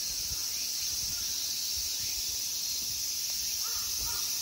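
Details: At Ikegami Honmonji temple park in Tokyo, Japan, summer insects produce a constant shrill, even buzz; soft low thumps, like footsteps, and a faint bird call near the end.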